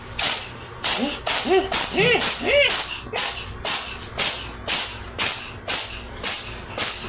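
A Russian Blue cat sneezes in a rapid run of sharp, hissing bursts about twice a second.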